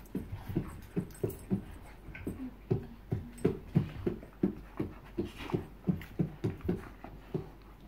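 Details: Bull terriers Joy and Miley in a small room, panting fast and steadily at about three breaths per second, each a short low huff, with a brief whimper partway through.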